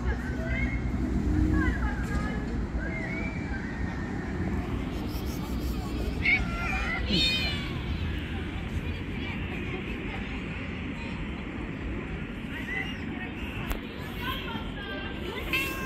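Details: Mischievous stray kittens crawling over a lap mew repeatedly in high, fanned, harmonic cries, clusters early and midway, while traffic and street noise rumble throughout.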